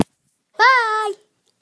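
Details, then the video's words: Little puppy howling indoors: one drawn-out tonal howl lasting about half a second, held at a steady pitch with rich overtones, preceded by a click in an otherwise quiet room. "My little puppy's or howling"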